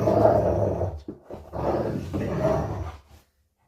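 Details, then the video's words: Rottweiler growling during play: three rough, low, rumbling growls over about three seconds, each swelling then easing off, separated by short breaths, ending in silence. "Rottweiler growling and playing"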